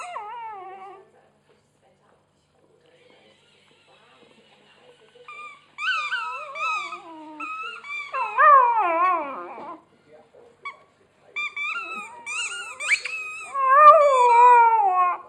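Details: Pet dog chewing its squeaky hedgehog toy and whimpering: a brief whine, a long quiet stretch, then bursts of quavering, tonal whines that bend up and down, the loudest near the end.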